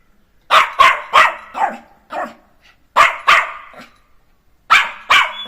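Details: Playful Jack Russell Terrier puppy Neo barking in quick bursts: a rapid cluster of four or five yappy barks, a pause, two more, then a final pair, each bark short and harsh.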